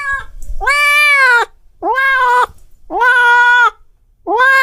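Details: Angry cat yowling: three long, strained, strongly harmonic wails of nearly a second each. A fourth begins at the end, with quiet pauses between them.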